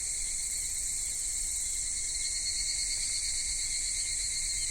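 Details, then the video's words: Summer cicada chorus recorded in Kitakami, Japan, at Michinoku Folk Village and Tenshochi, spanning minmin-zemi by day to evening higurashi; an even, high-pitched continuous drone with layered shrill bands and no other clear sounds. "夏セミの鳴き声 ミンミンゼミから夕方のひぐらしまで"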